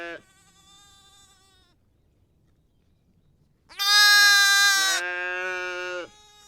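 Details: Lamb or sheep bleating: a brief clipped bleat at the start, then after a long silence one loud, quavering, strongly harmonic bleat lasting over two seconds that drops slightly in loudness partway through.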